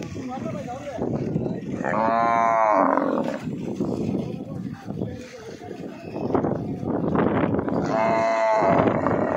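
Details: Buffalo at a busy livestock market, two drawn-out harmonic lowing calls about six seconds apart. Steady crowd chatter, voices and market bustle run underneath throughout.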